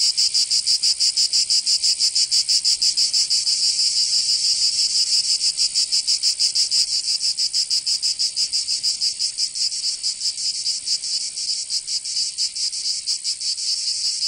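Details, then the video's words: In the south of France, Provence, cicadas sing in summer: a harsh high-pitched rasping hum pulsing fast and evenly, the beats growing slightly less even toward the end. "Canto Cigarra 🦗 [ Escuchar les cigarras en verano 10 H]"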